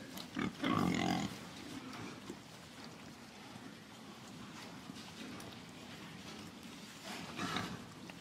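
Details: Pig letting out one rough, throaty burst near the start, followed by several seconds of quiet background hiss with only faint stirrings.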